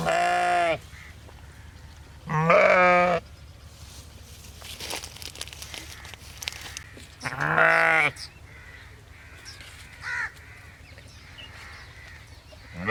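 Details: Sheep bleating: three loud, harmonic baas, each under a second long, spaced several seconds apart, with quieter calls and low background hum between them.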